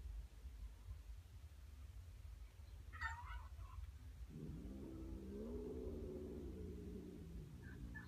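A brief higher mew is followed by a Siamese cat's drawn-out, low, wavering yowl lasting about three seconds. The stressed cat makes this sound on meeting a new kitten, against a constant low rumble.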